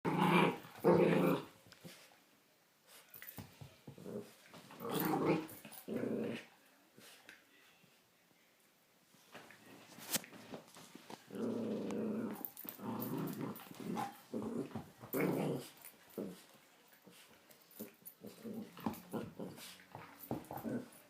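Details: Female Miniature Pinscher indoors wrestling with her toy, making funny noises: bursts of low rumbling growls and grumbles in uneven runs, with sharp thuds and clicks of play between, in a small room.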